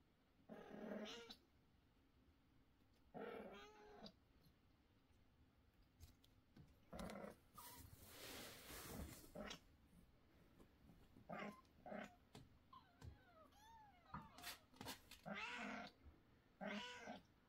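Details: Domestic kittens (Felis catus), at an age when they constantly sleep or meow, give loud, insistent meows one after another, some rising and falling in pitch.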